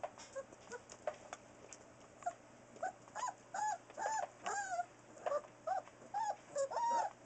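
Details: Four-week-old Newfoundland puppies born October 30, 2013, at naptime: a steady series of soft, short, high whimpers and squeaks repeating about twice a second, quiet against a constant electrical hum.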